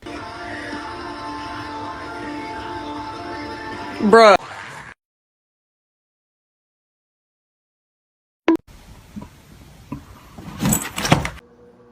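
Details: Speech over background music, a sharp upward swoosh, several seconds of silence, then clattering noises and a brief burst of hiss.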